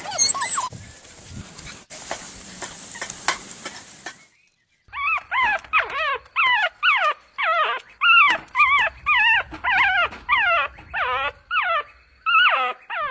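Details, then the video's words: Puppies drinking milk on a lush green meadow; after about four seconds of rustling noise, a rapid run of high, wavering whimpering yips repeats almost twice a second, each a short rising-then-falling whine. "Adorable Puppies Drinking Milk on a Lush Green Meadow | Puppy Video | Cute Barking Sounds"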